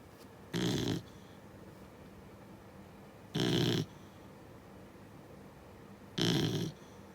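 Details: Six-month-old Beagle puppy asleep and snoring: three loud, rough, broadband snores, each about half a second long, repeating roughly every three seconds with quiet breathing between.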